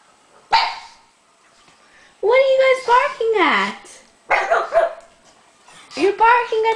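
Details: Two pet pugs, one named Rolex, barking indoors at stuffed toy monkeys, scared or guarding their owner: a few short, high yelping barks with rising and falling pitch, spaced by brief pauses, and a woman's voice soothing them.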